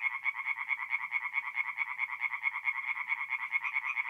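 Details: Night chorus of tree frogs at a forest pond in North-East Italy, mid-April: evenly spaced, rapid croaking notes, roughly two per second, sharp and rattling, several frogs calling together.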